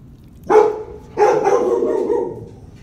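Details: Labrador Retriever in his kennel; two barks, a short sharp one followed after half a second by a longer drawn-out bark that tails off into a whine, over low background rumble.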